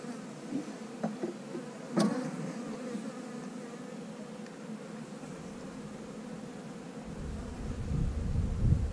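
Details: Honey bee colony hum while a beekeeper works frames and looks over hatched queen cells; continuous low buzzing with scattered sharp clicks and knocks, and a rumble of handling noise building toward the end.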